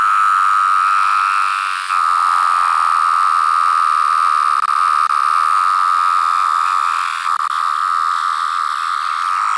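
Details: A larger, yellow-brown-striped variant of the 17-year cicada, heard alone up close. It makes a sustained high-pitched whine, nearly constant, with faint breaks near two and seven seconds.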